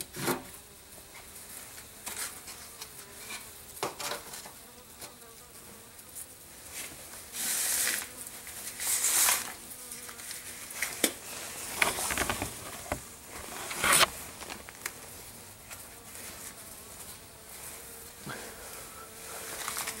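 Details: Honey bees kept in a garage tent in freezing December weather hum steadily during feeding, the drone overlaid by bursts of rustling and clattering noise.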